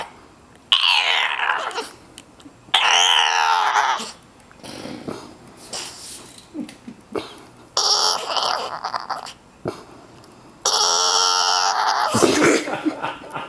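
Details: Dog from a compilation of funny dog and puppy sounds, vocalizing indoors in long bursts: wavering, talk-like whines that slide downward, mixed with rough grumbling growls, separated by short quiet gaps.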